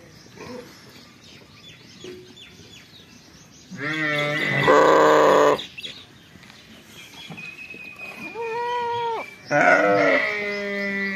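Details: Fall lambs on a sheep farm bleat, with loud wavering cries rising over a quiet farmyard background.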